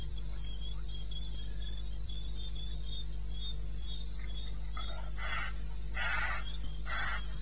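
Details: Night crickets in eastern Botswana's wilderness, recorded at 2:30 am on 21 May 2016, give a continuous high pulsed trill; in the last seconds several louder, broader rasping bursts break in above a low steady hum.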